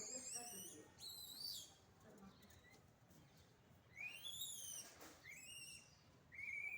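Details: Rural village monkeys make shrill whistled calls that sweep upward and then level off. They come in clusters, with quieter stretches of faint background noise in between.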